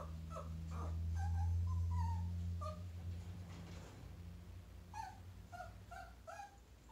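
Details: A Chihuahua meeting a chinchilla gives quick, high whimpering yips in bursts over a steady low indoor hum.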